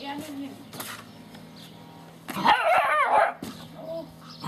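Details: Gordon Setter puppies playing with and conquering a cardboard box; a sudden second-long burst of high, excited yelping barks in the middle, with low human speech murmuring before and after.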